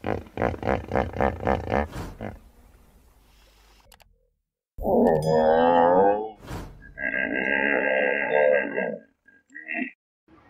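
A hippopotamus gives a fast run of deep, pulsing grunts, then louder, drawn-out bellowing honks.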